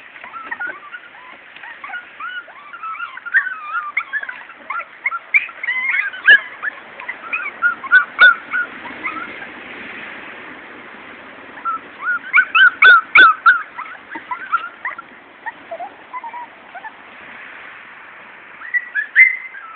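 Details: Morkie puppies, a Maltese-Yorkie cross litter from mother Soapy and father Max, giving scattered high squeaky whimpers and short whines, with louder bursts of overlapping squeals around the middle and near the end.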